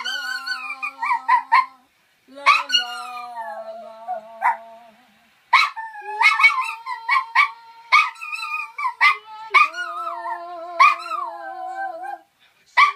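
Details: Male toy poodle joins in as its owner sings, giving quick high yips and bending, wavering howls in bursts, with brief pauses and the owner's low sustained singing underneath.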